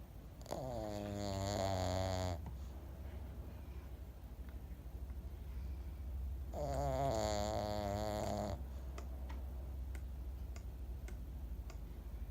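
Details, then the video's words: Momo, a 12-year-old Pekingese, sleeping and snoring loudly like a 'snore monster': two long, raspy, wavering snores of about two seconds each, roughly six seconds apart, with a low steady rumble of breathing between them and faint clicks near the end. "ペキニーズ モモ12歳 いびき怪獣"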